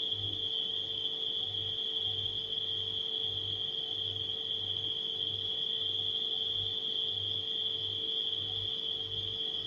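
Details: Nighttime crickets keep up a steady, unbroken high-pitched trill, layered over the low, constant hum of a refrigerator and a soft, pulsing throb.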